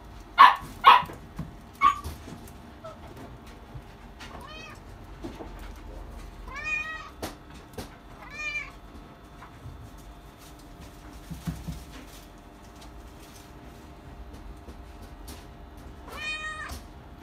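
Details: Chinchilla silver Persian kitten, male, born July 2020, meows repeatedly: several loud short calls at the start, then thinner rising-falling harmonic meows spaced a few seconds apart, with faint clicks and hum behind.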